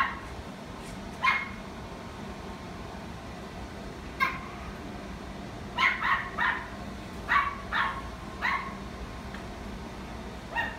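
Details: Pomeranian in a pet shop barking in short high yips, single barks then quick clusters of two or three, separated by pauses, with constant low room noise.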